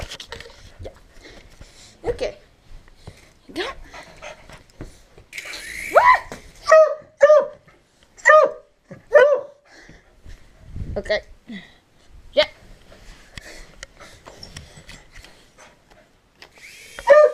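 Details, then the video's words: Domestic dog barking at a helicopter indoors: a series of short, sharp barks in a burst near the middle, with a person's excited speech and small room sounds around them. "Dog Barks 4 Helicopter"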